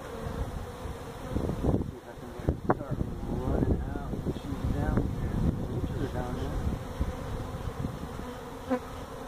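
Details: Feral honey bee colony that built its hive inside a tractor tire, part of a tire stack at a citrus orchard in Mission, Texas, disturbed during hive removal; a steady droning hum runs throughout, with a man's voice breaking in midway.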